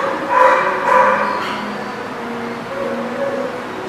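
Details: Dog giving two short, sharp yips in quick succession, followed by a softer, drawn-out whining tone that wavers and fades over the next few seconds.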